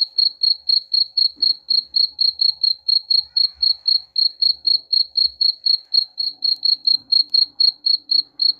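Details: Cricket song meant to scare off rats: continuous bright, pulsing chirps at roughly four per second throughout, evenly spaced, with faint scattered low knocks and hum behind.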